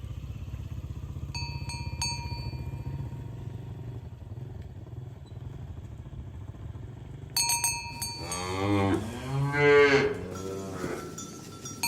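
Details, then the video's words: Cattle herded to their pen on a village road in the morning: low engine-like rumble and sparse bell chimes, then a series of deep, wavering moos in quick succession over the final few seconds as bells ring brightly. "Puluhan Sapi Berjalan Di Padang Rumput Hijau | Asmr Sapi Moo | Suara Moo"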